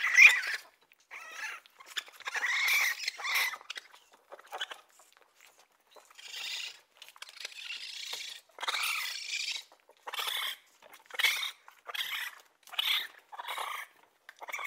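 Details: Raccoon giving a series of short, harsh, breathy squeals and chitters in irregular bursts, some brief and faint, others louder and drawn out, separated by gaps of silence.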